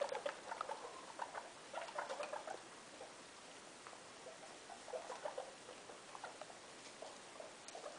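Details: Indoor guinea pig, a mother kept with her three young, giving clusters of faint, brief squeaks and chattering notes, a burst at the start, another after a pause, then scattered single squeaks amid constant hiss.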